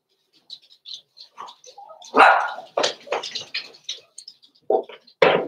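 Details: Blenheim Cavalier King Charles Spaniel puppies, six weeks old, indoors in a home puppy pen: a busy tumble of yips, squeaks and short barks, several overlapping, ending with two louder barks.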